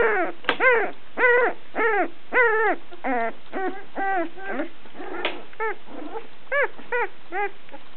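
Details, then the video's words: Little over two weeks old, female Sussex Spaniel puppies cry almost nonstop in loud, arched, harmonic whimpering squeals, roughly two per second, some overlapping as several pups call together. "Sussex Spaniel Puppies"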